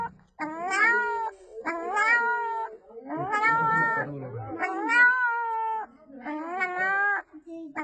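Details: Small puppy making human-like sounds to call her mother: drawn-out, tonal wailing cries with rich harmonics, each about a second long and falling at the end, repeated roughly every second and a half.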